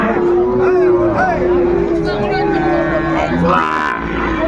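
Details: Sahiwal bull calves offered to farmers at a Chattogram market, Bangladesh, 11 January 2025: a drawn-out, steady low moo holds for over a second amid bargaining voices and general crowd noise.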